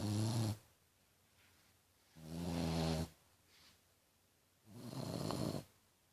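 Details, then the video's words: French Bulldog Tequila snoring like a piglet: three rasping, low-pitched breaths spaced roughly two seconds apart, each with a buzzy rattling core and airy hiss above, quiet gaps between, indoors. "Bulldog francês roncando!!"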